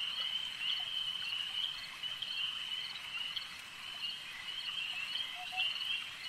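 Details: Frogs at a lake keep up a constant high, buzzing chorus of rapid pulses, with occasional stronger calls standing out and a brief faint lower note near the end.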